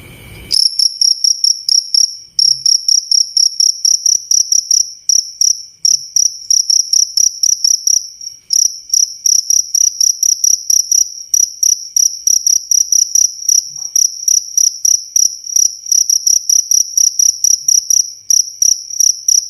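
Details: Cricket recorded as a training sound for songbirds: loud, clear chirps with a bright tone and a fainter higher overtone, given in quick pulsed bursts that repeat steadily with brief pauses; background otherwise quiet.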